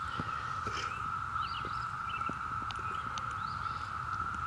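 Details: Periodical cicadas of Brood V, Ohio, June 2016, at a former Girl Scout camp among trees littered with nymph shells: a dense chorus forms a steady, droning buzz as adult males call for female mates.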